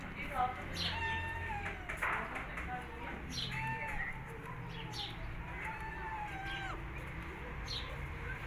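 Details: Mother cat with her newborn kittens, hidden after giving birth; repeated short high meows and squeaky mews, some rising then falling, over a low background rumble with human speech.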